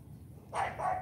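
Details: Morning training session with Charme, a female AKC champion Cane Corso puppy: one short, slightly doubled bark after the commands "turn back, sit back", followed by praise. Quiet low hum in the background.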